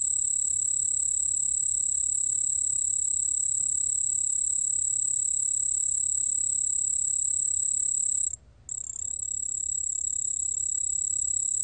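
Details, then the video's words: White-whiskered bell cricket singing, recorded in 2020 by a national biological resources institute: an unbroken, piercing high metallic ring sustained for about eight seconds, a single short gap, then the same steady tone continuing. "흰수염방울벌레, 여러번 듣기, 곤충소리"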